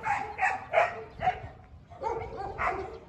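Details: Dobermanns in a large kennel bark repeatedly, about seven loud, harsh barks over three seconds, in two bursts separated by a short pause.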